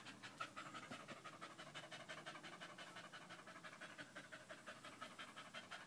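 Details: Danco, a dog staying close by a leg, indoors on 5 August 2013, pants loudly and rapidly, about three breaths a second in a steady, breathy rhythm that runs throughout.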